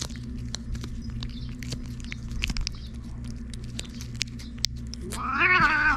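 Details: Stray cat in Japan, ferocious and in a bad mood, growling threateningly after being made to leave a waiting room at six o'clock; low background rumble, then a wavering drawn-out yowl at the end.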